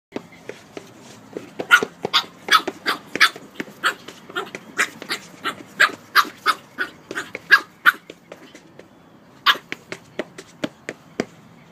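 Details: Pug puppy being silly, letting out a rapid run of sharp, short, high yaps and snorts, about three each second with brief pauses, in a quiet room.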